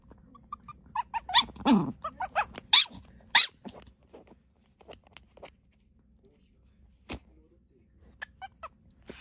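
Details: Puppy giving a burst of sharp squeaky yips and one falling whine early on, then going mostly quiet with a few isolated clicks and thumps.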